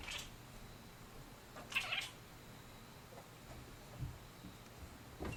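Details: Indoors, an F5 Savannah cat searching for a bug makes odd little noises, an F1 Savannah cat nearby; a brief chirp at the start, then a brighter double chirp, followed by faint low murmurs.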